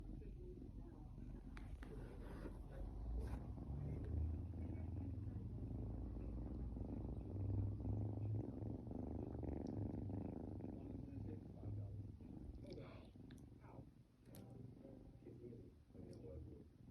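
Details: An 8-week-old Ragdoll kitten purrs steadily, a low rumbling vibration pulsing rapidly and evenly.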